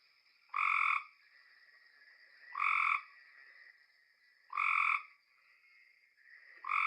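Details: Male Cope's gray treefrogs (Hyla chrysoscelis) give short, harsh buzzy advertising trills about every two seconds, quicker and less musical than the gray treefrog; typical around ponds in Texas's LBJ Grasslands.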